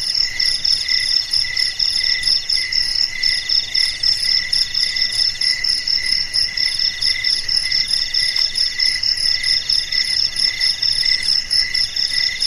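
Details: Several crickets calling after dark in stillness, a steady wall of shrill pulsing chirps with a faint higher tinkling layer, unbroken throughout.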